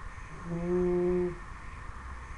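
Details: Sleeping Dobermann puppy, ten weeks old, lets out a single humming snore of under a second, a low, steady, buzzy tone rising out of faint room noise and fading quickly.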